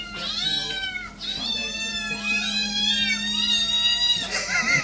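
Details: Domestic cat meowing almost continuously: a run of overlapping, wavering, drawn-out meows that rise and fall in pitch, with a steady low hum underneath.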